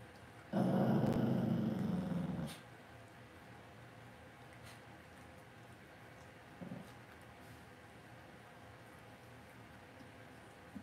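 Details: Cavalier King Charles Spaniel puppies in an indoor home puppy pen at Red Barn Cavaliers. One low, rough growl lasts about two seconds, then a quieter room with a brief faint grunt.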